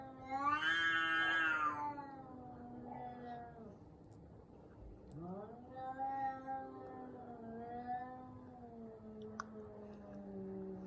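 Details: Backyard cat fight with a loud rising-and-falling caterwaul at the start, then a series of lower moaning yowls that bend upward and sag, overlapping and continuing to the end.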